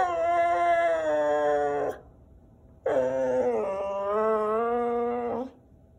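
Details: Whippet complaining about and protesting the camera, with another whippet joining in: two long, drawn-out, rich harmonic howling whines, each about two seconds, steady in pitch with a slight dip, and a short pause between them.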